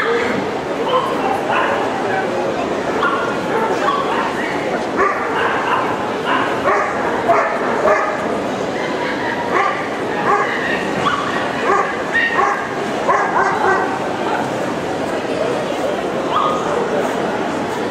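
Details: Ten-month-old Boerboel guard dog, untrained for protection, showing a protective reaction in the show ring at a CACIB dog show in Kyiv on 04/09/2016; repeated loud barks in bursts over steady crowd chatter and hall noise.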